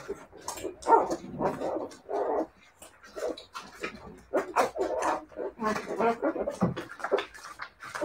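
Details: Siberian Husky puppies barking and whimpering in short bursts, mid-pitched yips and whines overlapping irregularly, with some human speech in the background.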